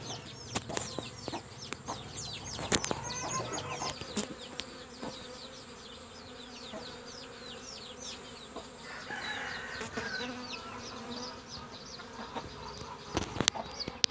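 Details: A honey bee colony in the lean rainy season, with empty frames, gives a dense, steady hum of many bees with scattered clicks and faint high chirps.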